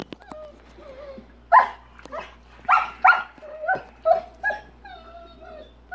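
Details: A Rottweiler barks at a big rock in his swimming pool he dislikes, giving a run of deep, hoarse barks in quick bursts while a man nearby urges him to get the rock out of the pool.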